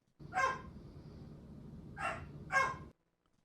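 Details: Belgian Malinois, a breed called extremely high energy and anxious, gives three sharp, harsh barks: one early, then a pair close together near the end, over a low steady hum.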